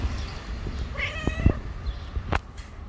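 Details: Pregnant stray cat living on the street, a few days from giving birth, gives a single short harmonic meow lasting about half a second, over steady low traffic rumble and a few sharp knocks.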